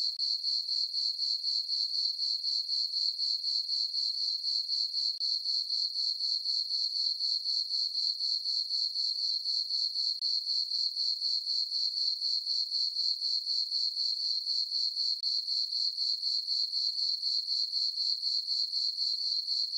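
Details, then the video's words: Crickets chirping through a peaceful summer night in a meadow on a farm under a full moon; a continuous high-pitched pulsing trill, pulses repeating about four times per second with steady rhythm, no other sounds. "Cricket chirping sounds for sleeping"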